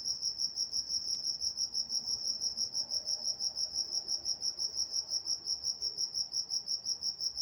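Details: Crickets at night in Walnut, California, chirping in a steady high-pitched pulse, about three chirps per second, with a fainter overtone band above and a quiet low background hum.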